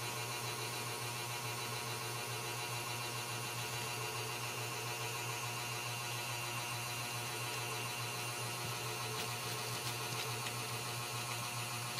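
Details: Dense, steady machine-like whirring and hiss fills the whole stretch, with no animal sounds present.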